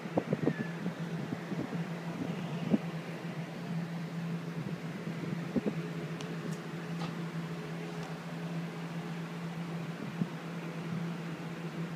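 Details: A steady mechanical fan hum fills a small indoor room, with a few faint knocks and clicks and no animal voice.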